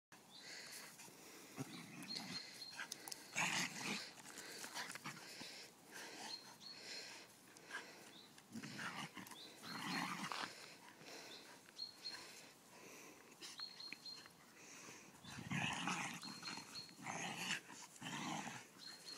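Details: Golden Retriever pup and a whippet cross arguing over a stick, outdoors; rough, noisy growling bursts come and go throughout, with short scuffling pauses between them.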